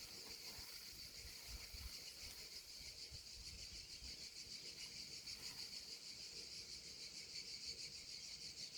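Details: Cicadas still singing outdoors after 18h at about 39 degrees, including one loud 'chef' cicada; a dense, steady high buzz with a faint pulsing shimmer carries throughout, with a little wind underneath.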